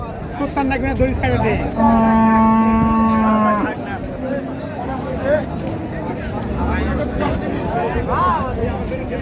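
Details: Cattle at Raniganj haat, Dinajpur, a market for cows with calves, 15 May 2025: one long, level, deep lowing lasting about two seconds, rich in harmonics, surrounded by crowd talk and market noise.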